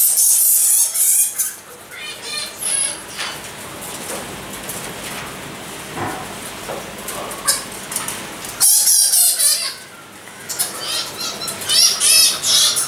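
Egyptian fruit bats chatter with rapid, high, scratchy squeaks and clicks in overlapping bursts.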